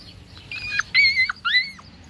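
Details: Labrador Retriever puppies from a litter of seven, whining: three high, drawn-out squeals in about two seconds, each steady then bending downward at the end, the last two loudest, with a quiet background.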